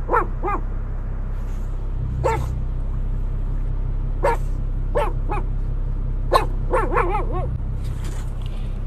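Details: Pug yapping in short, high, harmonic barks that come in irregular bursts, some single and some doubled, roughly a dozen across nine seconds, over a low steady background hum.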